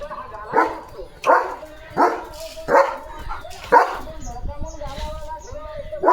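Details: German Shepherd named Leo, just after a bath and switching to alert duty, gives five sharp barks in just under four seconds, followed by softer tonal whines, with a person talking nearby.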